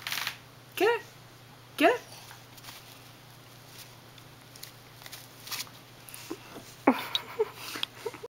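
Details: Small dog Riley upset that a baby has his treat, giving short rising whimpers, two clear ones close together early on, then scattered softer squeaky cries, quiet between them.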